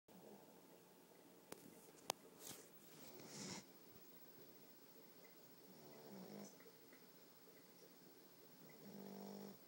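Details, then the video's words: Tallulah, a sleeping puppy, snoring softly indoors: low rumbling breaths around 2.5–3.5, 6 and 9 seconds, with a few sharp clicks early on. "Tallulah Snoring"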